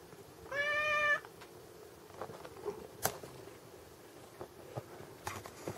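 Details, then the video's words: Gizmo, a Munchkin cat, lets out a single steady, even-pitched meow lasting under a second, followed by quiet indoor room sounds with a few soft taps and clicks. "マンチカンのギズモ 鳴き声"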